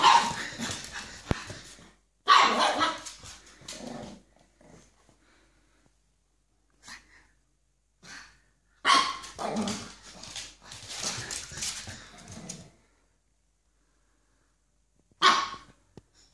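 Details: Nine-week-old pug puppy, a male frightened by gloves, barks in loud bursts: a run in the first seconds, another cluster from about nine to thirteen seconds, then a final sharp bark, with quiet gaps between.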